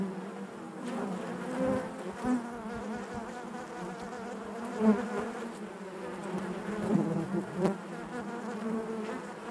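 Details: Honey bees humming in the hive: an even, soft droning buzz with harmonic bands, small swells as single bees fly near, and a few faint clicks.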